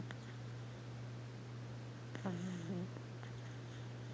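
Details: A sleeping pug puppy named Stormy lets out one short, wavering, whistled snore lasting under a second midway through. A constant low hum fills the quiet room around it.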